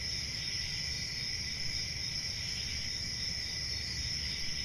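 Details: Short stretch of nonstop cricket chirping: a bright, sustained high trill with a lower accompanying band and a murmuring low-frequency background.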